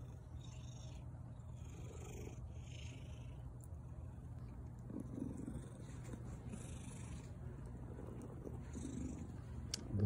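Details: A domestic orange cat in a good mood, greeting its owner and yawning, purrs steadily in a low, rumbling drone with a few soft vocal bursts.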